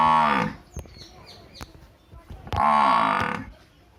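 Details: Two loud harmonic moos from a village buffalo, one at the start and one after two and a half seconds, separated by clicks and quiet background sounds.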